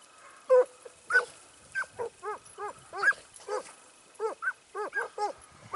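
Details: Training session of a Segugio Italiano at Sofiko, Evros, dated 12 September 2018: clear, musical hound bays, each one rising then falling, repeated roughly twice per second in an uneven chain.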